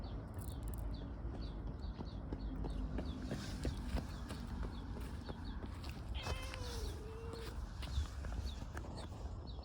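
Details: Affectionate stray tortoiseshell cat filmed in a park gives a single long meow that bends down and then levels off, late in the clip, against a constant backdrop of quick, high repeated chirps and low hum.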